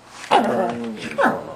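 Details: Kota, a Husky pup, talking back while arguing with an owner: a drawn-out, wavering, whiny howl-like vocalisation falling in pitch over about half a second, then a short sharp yelp, close and loud, indoors.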